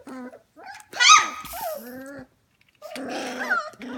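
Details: Young F1 Goldendoodle litter, 25 days old, indoors late at night around 11 pm. There are clear tonal whimpers, one sharp squeal and falling cries, separated by a brief silence.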